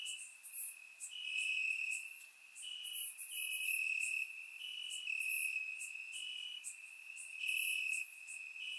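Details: Grassland crickets at night in Bulgaria during warm summer weather, surround-mic recorded: a steady piercing trill overlaid with quick pulsed chirps, roughly three to four per second, and fainter higher buzzes.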